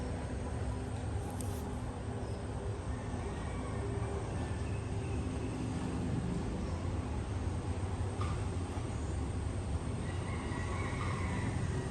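Steady low rumble of engine or vehicle noise, with no animal voice standing out.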